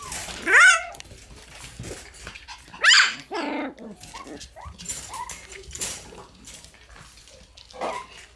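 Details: Black Shiba Inu puppy, debuting in a room on January 29–30, giving short high yips and whimpering squeals, a couple of loud bursts then softer cries, with a woman talking to it indoors.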